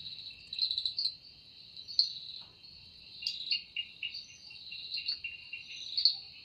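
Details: Evening cicada song deep in forest, produced by the wings as stated: constant high shrill hum with wavering lower pulses, alternating louder surges and calmer stretches over several seconds.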